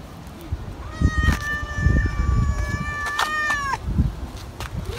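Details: A stray tabby cat gives one long, drawn-out meow lasting about three seconds, steady in pitch with a slight drop at the end, over low background rumble and faint outdoor noise.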